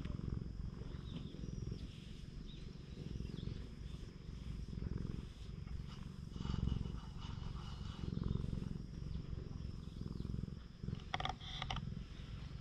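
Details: Free-roaming cat on a cat island in Japan gives a continuous low purr as it is stroked. The rumbling pulses rise and fall gently, and a brief crackling rustle comes near the end.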